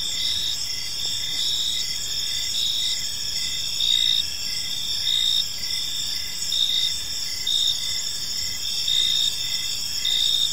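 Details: Crickets in a peaceful park during the evening keep up a shrill steady trill, punctuated by chirp pulses near once per second from several overlapping callers; the insect chorus is the only clear sound.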